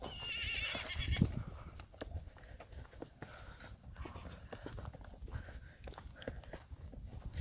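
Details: Friesian horse Lieke, part of a herd, neighing in a pasture as if calling Mama as Reintje returns after a dressage competition; one loud, shrill, quavering whinny in the first second, then soft hoof clops and low rumbling background.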